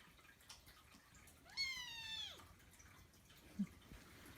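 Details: A pet Persian Chinchilla kitten called Kkung lets out one loud, drawn-out meow lasting almost a second, level then falling at the end, followed by a soft tap in a quiet indoor room.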